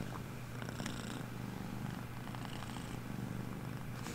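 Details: Purring from Veeya, a pet cat getting comfy while being petted indoors during a live stream: a soft, continuous low rumble with faint rhythmic pulsing and no other clear sounds.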